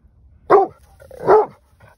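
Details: Male Rhodesian Ridgeback barking in response to a coyote pack barking and screaming in nearby brush, just after chasing a coyote there. Two loud, deep barks about 0.8 seconds apart, then a faint third sound, against quiet background.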